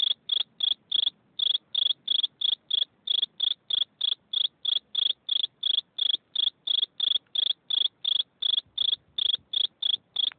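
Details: Cricket chirping: sharp, high chirps repeated steadily, roughly three per second, about thirty over ten seconds, each a brief bright pulse on a quiet background with no other sounds.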